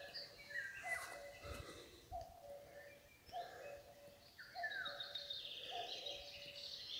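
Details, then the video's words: Five short bleats from a fawn calling its mother come at regular intervals of about 1.2 seconds. Layered birdsong with chirps and descending whistles surrounds them. "Ein Kitz ruft seine Mutter Teil 2 A fawn calls its mother part 2"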